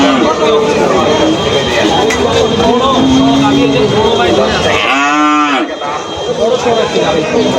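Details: Cow at a crowded cattle market in Bangladesh gives a short, loud moo near the end, set against constant bargaining voices, vehicle hum and a steady high electronic tone.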